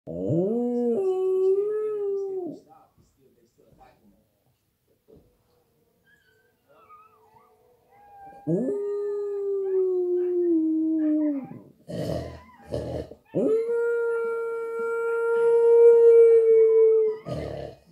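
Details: Australian Terrier. An Australian Terrier howls in three drawn-out, tonal bouts, each starting with a quick rise then holding a steady pitch before trailing off. The howling answers dogs heard on television, with brief sharp background noises between bouts.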